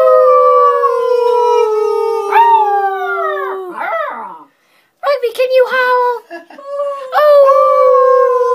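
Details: Puppy howling and crying in long, sustained, slightly falling tones, several drawn-out wails with rich overtones broken by a brief silence, then rising again into another held howl.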